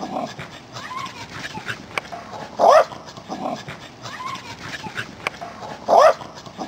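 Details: Two Welsh Corgis, Angela and Rosemary, running around: two short, sharp, rising yips about three seconds apart stand out over a constant busy rustle and patter of movement.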